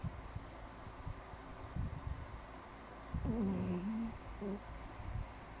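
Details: Breezy, a sleeping Chihuahua, snores indoors: low, rough breathing pulses in the opening seconds, then a louder nasal, whistling tone that wavers and dips for about a second, followed by a brief shorter whine.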